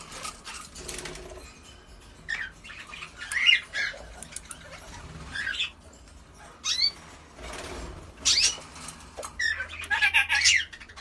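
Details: Kakariki giving scattered short, sharp chirps and rising squeaky notes in irregular bursts, with quiet pauses between, some soft rustling or wing-flap noises and a low background hum.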